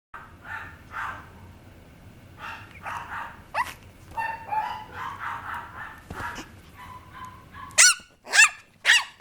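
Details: Papillon puppy indoors: soft whining and scattered yelps give way to three sharp, high barks near the end.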